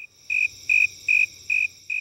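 Tree cricket song: a clear, high-pitched trill broken into short bursts, each about a sixth of a second, repeating roughly every two-fifths of a second. The tone is musical and even, with no other sounds alongside.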